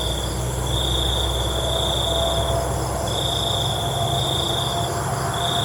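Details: Crickets at night give longer high trills of a second or two, over a low continuous hum and faint noise.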